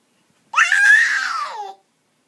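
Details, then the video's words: A female cat calls out at 3 am indoors: a single loud drawn-out meow of just over a second, rising quickly, holding steady, then sliding down at the end, in an otherwise silent room. "She's making a noise at 3 am lol"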